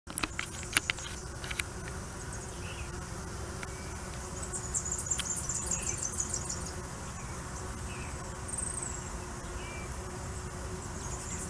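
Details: Tetragonula stingless bees at the nest entrance of their hive during the busiest hour in Richmond, NSW, Australia, bringing in pollen and carrying away waste pellets; a steady low hum runs throughout, with faint high chirps and a few sharp clicks early on.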